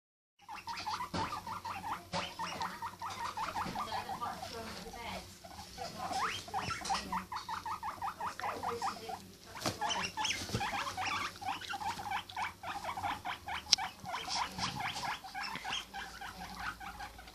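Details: Pet guinea pig making noises: a long run of short, squeaky chirping notes in quick succession, nearly continuous with brief pauses, over light rustling and occasional clicks.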